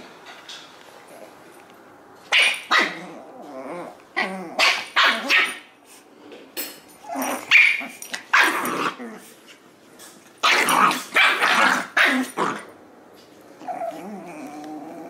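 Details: Two puppies playing together, Butters, a Jack Russell Terrier and Poodle mix, and Stewie, a Maltese and Shih Tzu mix: bursts of high, sharp yapping barks and short growls come in irregular clusters, with quiet gaps between.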